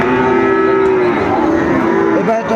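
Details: A Sahiwal bull calf at a Chattogram cattle market in Bangladesh, 26 September 2024, gives a steady, level moo for about a second, then softer wavering lowing, with faint market voices behind.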